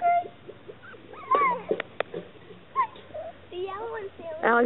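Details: High, wavering whimpers from Chesapeake Bay Retriever pups, brief sliding squeals with a few sharp taps between them, mixed with people speaking to the puppies.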